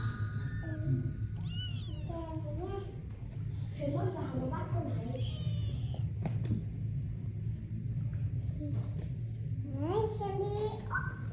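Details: Cat with kittens meowing: several short, high, wavering mews, some rising, some falling, scattered through the recording over a steady low rumbling hum, with a brief spoken remark before.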